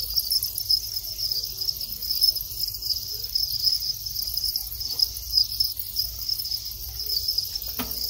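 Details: High, continuous chirping trill from a male Thai house cricket calling at the start of the breeding cycle, after the final moult. The trill barely varies, and a brief soft knock is heard near the end.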